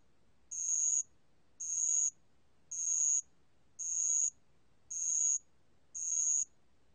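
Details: Six evenly spaced high-pitched trills of a bell cricket, each a short ringing burst about a second apart, from a 2020 National Institute of Biological Resources recording; background otherwise still.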